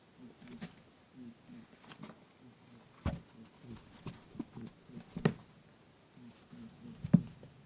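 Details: Lop-eared rabbit grunting "boo-boo" while chasing its friend Pooh in play indoors, recorded on a TASCAM DR-07X; soft low rumbling grunts in short bursts, with a few sharp thumps or taps scattered through.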